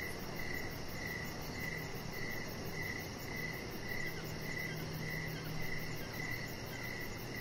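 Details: Evening crickets near a deck with decoration lights chirp less evenly here, short mid-pitched bursts spaced irregularly, over a fast high pulsing trill and a continuous low droning background.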